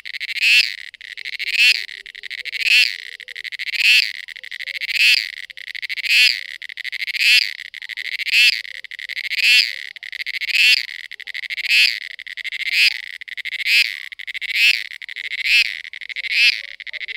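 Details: A cicada calling during mating gives a long, very regular series of about fifteen rasping, high buzzy surges, one every second or so, each rising then cut off sharply; nothing else audible.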